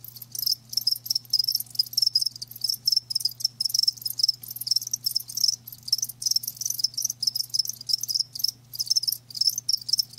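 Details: High, rapid trilled chirps from live crickets, many insects overlapping in rhythmic bursts nearly every half second, with a quiet low hum running beneath.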